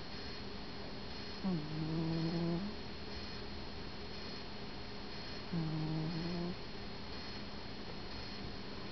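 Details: Sleeping cat named Stan snoring softly, two low humming snores each lasting about a second, spaced roughly four seconds apart, with quiet room hiss between breaths.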